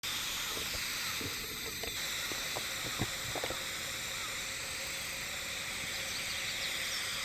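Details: Hime-harusemi cicadas heard but unseen in Yamaguchi Prefecture, Japan, on 19 July 2022: a steady, unbroken high shimmering chorus of layered buzzing bands, with scattered low knocks and taps underneath.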